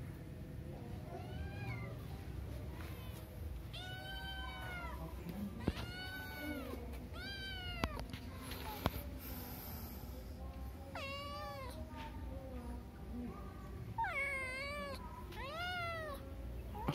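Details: Pet cats meowing indoors: a run of clear, arched, rising-then-falling meows, some in quick bursts of two or three, over low background hum with a few sharp clicks.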